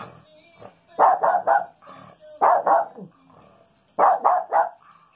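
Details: Pet Maltese dog indoors searching the house for a skunk's smell on a rainy day; sharp barks in quick bursts of three, repeated about every one and a half seconds, with faint voices between.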